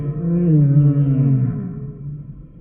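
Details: Humpback whale song unit: one long, deep, harmonically rich moan that slides slowly downward and fades after about two seconds.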